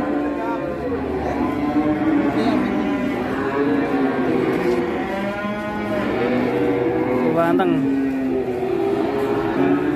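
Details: Big cow in Indonesia, a morning spectacle bought and loaded straight away without bargaining; long lowing moos with stacked harmonics rise and fall twice, set against steady crowd murmur and music.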